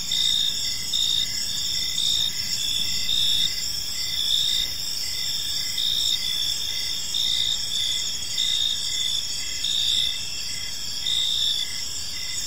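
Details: Chirping crickets fill a calm park as evening falls; high, metallic pulsed trills recur in regular bursts, several insects overlapping, with faint distant low noise below.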